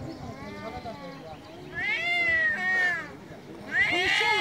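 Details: Male domestic cats in Istanbul, Turkey, yowling very loudly outdoors: a soft opening whine followed by overlapping long, drawn, wavering meows, the last one rising sharply.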